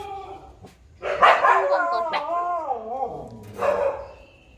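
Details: Puppy giving a drawn-out, wavering howl-like bark with rising and falling tonal pitch, followed by a shorter yelp, while people talk nearby.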